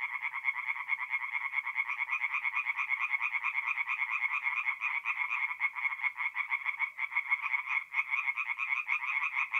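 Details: Nocturnal chorus of tree frogs at a forest pond in north-east Italy, mid-April: fast, continuous pulsed croaking from many frogs, a relentless rattling rhythm with no other sounds.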